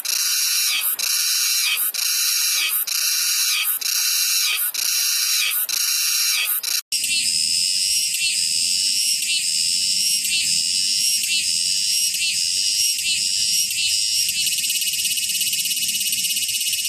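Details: Several cicada sound types: first a rhythmic buzzy song pulsing about every 0.6 seconds, then after a cut a continuous shrill high drone with faint low murmur beneath.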